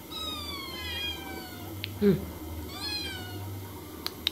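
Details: Several cats and kittens meowing indoors: long descending and level meows with rich stacked harmonics, overlapping voices, a brief low thump near the middle and two sharp clicks at the end over a low steady hum.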